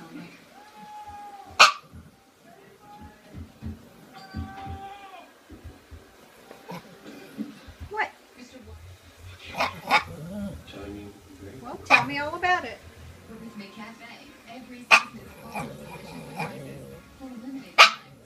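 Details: A pet dog talking to its owner about his day while dinner is cooked: drawn-out, even-pitched whining moans, then a grumbling, rising vocal burst, mixed with a woman's encouraging speech and sharp kitchen clatters.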